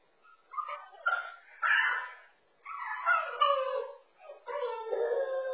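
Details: A French Bulldog puppy stuck over a wall divider whines in four or five drawn-out, wavering harmonic cries, each a second or so long, rising and falling with short gaps between.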